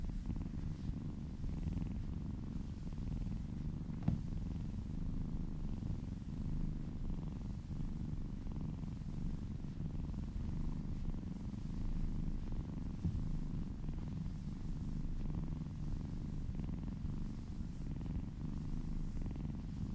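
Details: Happy kittens purring while being massaged, a steady low rumbling purr throughout, soft and even with no other clear sounds.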